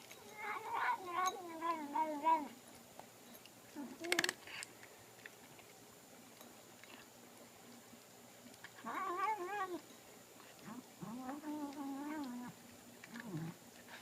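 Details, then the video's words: Pet cat Sophie talking while she eats in a small room. Wavering, warbling moans come in several bouts, each a few seconds long, with quiet gaps and a sharp clatter around the fourth second. "Cat makes noises while eating"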